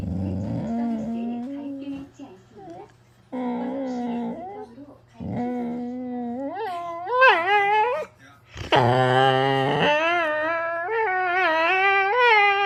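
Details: Jindo dog on a toy mat clutching a sock, grumbling and whining in protest as its owner pretends to take it away. Drawn-out, wavering moans that bend up and down in pitch, then louder rising yelping cries. A faint steady hum sits underneath.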